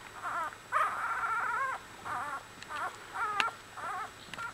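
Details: Week-old Australian Bulldog puppies in a litter whimper repeatedly, short wavering yelps and squeals in quick succession, each about half a second, with a faint click or two in the background.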